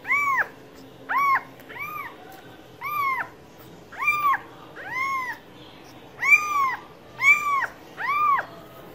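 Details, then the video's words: Steady series of about ten short cat meows, each an arching harmonic call, repeated roughly once a second against soft background hiss. "Cats Voice - Cats sound - Cats Meowing"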